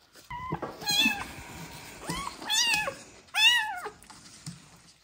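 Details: Abandoned sick street kittens with ringworm, trichomonas and festering eyes, learning to eat from a bottle; loud, clear meows, one short and level, others bending up then sliding down, rich in harmonics, with soft handling noise between.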